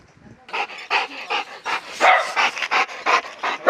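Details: Labrador Retriever on a mountain walk in Gangwon-do during unexpected heavy snowfall in late March, panting hard in quick breathy bursts about three times a second, each rasping exhale loud and even, with no other sounds.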